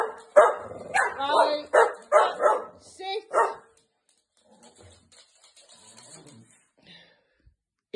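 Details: Staffordshire Bull Terrier puppies, two sisters, barking indoors at home in a rapid, uneven run of loud yappy barks over about three seconds. Quiet rustling and faint voices follow.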